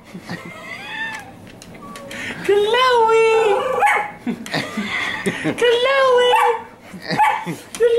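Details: Neechee, a jealous dog who cannot stand anyone paying attention to another dog, gives drawn-out wavering howl-whines that rise and fall, in two long bursts, over people's voices calling and praising another dog.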